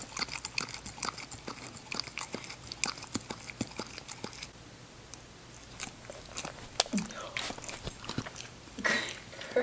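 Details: Female English Cocker Spaniel puppy Ginger at her meal: rapid crisp crunching bites for the first four seconds, then a quieter spell broken by a few isolated louder clicks and brief soft rustles toward the end.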